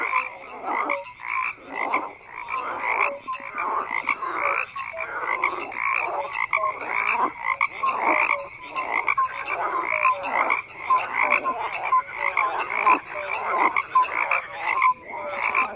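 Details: Croaking frogs in a full nighttime-style chorus: rapid raspy pulses from many animals, bursts repeating about every second, with thin whistled notes mixed in, no voices or music.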